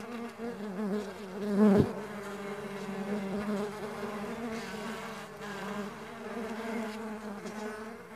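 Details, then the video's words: Farmed stingless bees hum in a dense, wavering buzz; one loud close pass with a sharp knock early on, then a steady even drone to the end. "Stingless Bee Farming Sound Nature - Relaxing Music With Nature Sounds of Stingless Bee and Buzz"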